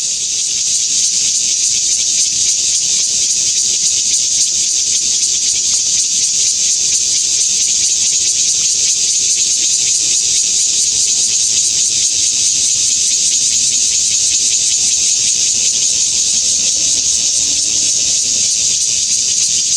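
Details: Taiwan bear cicada (listed as Cryptotympana takasagona) sings under blazing sun at Xinshan Reservoir, Keelung, Taiwan, on 26 August 2021, in a loud, unbroken, high-pitched hiss that holds steady throughout.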